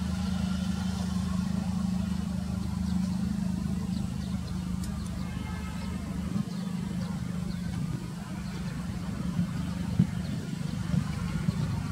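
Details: Steady low engine rumble of a vehicle outdoors with faint background voices and no animal sound.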